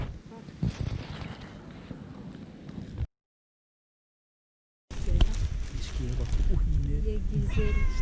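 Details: A fluffy tortoiseshell cat (Felis catus), a little jealous, makes soft, low chewing noises and a few short, funny vocal sounds while eating.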